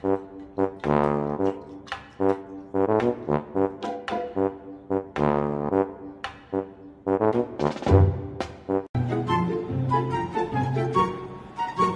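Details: Brass music with trombone and trumpet plays in short phrases, with no animal voice heard.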